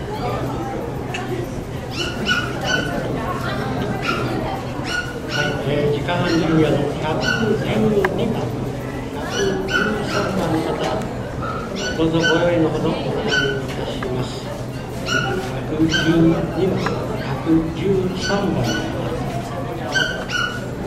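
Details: Poodles at the Saitama West Honey Poodle Club show, 9 June 2008: sharp, high yips and barks repeat rapidly and irregularly throughout, over a steady murmur of people talking in the background.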